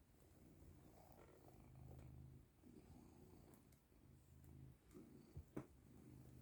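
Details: Purring from Caesar the cat during a session of rubs and affection: low throbbing purr cycles roughly every second, softening at moments, with a couple of brief knocks near the end.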